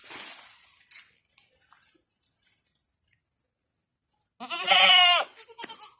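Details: A domestic buck goat gives one loud, quavering, harmonic bleat after a long quiet stretch, with brief speech at the start and a faint high steady whine throughout.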